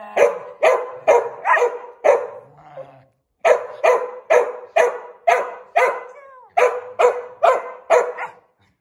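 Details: Ghiaccio, a Samoyed, barking during the invisible challenge: a run of sharp, loud barks at about two per second, a short pause near three seconds, a brief whine, then another steady string of barks.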